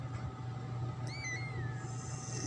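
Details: Black, orange and white kitten, the second newborn of a pet cat, gives one thin high mew that rises then slowly falls, over a steady low hum indoors.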